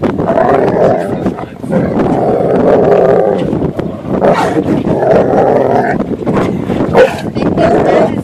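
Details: Dog on a boat in a temper tantrum at having to get out of the water, giving drawn-out, wavering howl-whines in long phrases with short pauses between them, over low boat noise.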